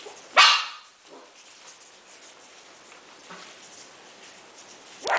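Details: Coton de Tulear puppies, four weeks old, let out a sharp high yelp, then quiet rustling, and a second short yelp at the end.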